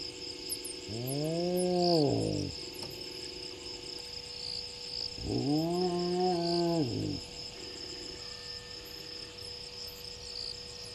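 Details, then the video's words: Lone spotted hyena calling as it walks past Gowrie dam waterhole, Djuma Game Reserve, Sabi Sand Wildtuin, South Africa, at 23:19 on 01/03/20, spotting a second hyena. Two long, low, moaning whoops that rise, hold, then fall, about four seconds apart, over a steady insect chorus. "Lone Hyena walks through while calling-spots second Hyena"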